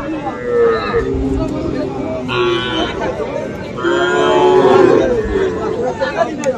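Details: Young cattle, small bulls and heifer calves, at the Aftabganj market, Bangladesh, 3 February, calling in several bellowing moos among a busy murmur of buyers' voices.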